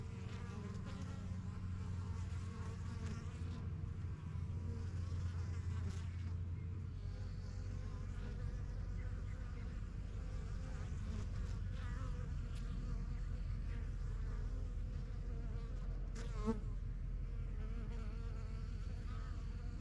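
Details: Honey bees at a busy yellow backyard hive set up in spring 2023, the strongest of several new hives, crowding in and out of the entrance. Deep, steady buzzing hum that thickens after a few seconds, with one short chirp near the end.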